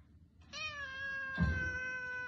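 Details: A pet cat gives one long, drawn-out meow of nearly two seconds. It holds a steady, even pitch with rich overtones, and a soft thump breaks in midway against quiet indoor background noise.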